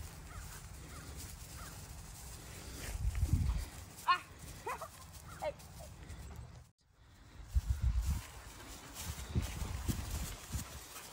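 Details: Two German Shepherd puppies at play and exercise in a grassy field near a kennel area in Pottsboro, Texas, giving a short burst of sharp, high yapping barks midway, over low wind rumble and a person's voice.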